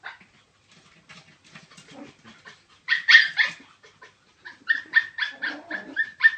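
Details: Chihuahua giving soft, scattered yips and whimpery sounds, then bursts of loud, shrill barks in quick series, with short pauses between bouts.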